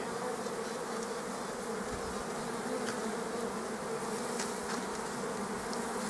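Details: A queen honey bee pipes with a steady mid-pitched tone above the dense, even drone of bees, at an apiary on 7 July 2014 while two captured secondary swarms are split into mating nuclei; young queens are fighting for supremacy.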